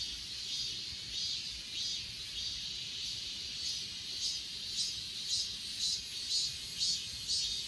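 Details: High, ringing insect chorus from grass insects on Achasan, recorded on an S20 Ultra phone, with a pulsing layer of chirps about twice per second that becomes sharper in the second half.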